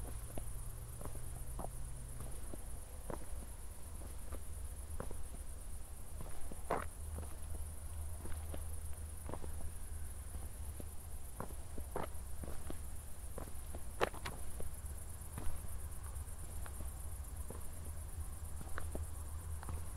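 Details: Crickets on an evening walk in Zwettl, Austria, after a thunderstorm: a thinner, steady high chirring continues beneath frequent crunching footsteps and a low rumble.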